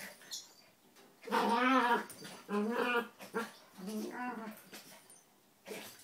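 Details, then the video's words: Donut, a red toy poodle, and Dino, a Maltese, wrestle playfully without biting; wavering, harmonic growls come in several drawn-out bursts over a soft rustling background. "Dogs Wrestling With Each Other"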